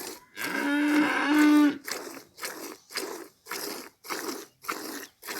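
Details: Village cow giving one drawn-out harmonic moo lasting about a second, followed by a regular run of short crunching, chewing-like bursts about two per second.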